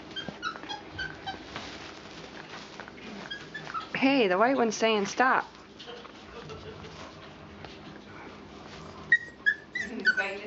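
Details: Puppies aged four weeks and four days, Mama Valentine and brother Hoyt, at play on 18 March 2013. A pair of strong, wobbling whines undulates up and down for over a second. Scattered high squeaks come later, with quiet talking throughout.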